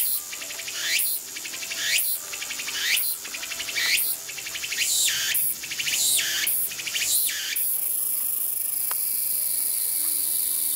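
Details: Tsukutsukuboshi cicada in the countryside, its song locally voiced as "oshin-tsukutsuku, takabeccho": about seven rasping, throbbing phrases about once per second, then a steady high hiss continuing to the end.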